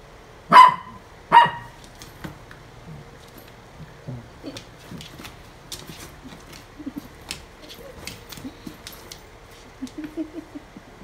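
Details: Newly adopted Toy Poodle, recorded 24 August 2018, giving two sharp, high barks in quick succession near the start, then quiet indoor background with faint taps and small clicks.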